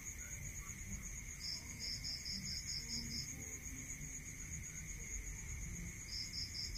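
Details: Night-time cricket chorus from the countryside, with a run of rapid, high pulsed chirps lasting about two seconds, another burst starting near the end, and a continuous shrill ringing tone underneath.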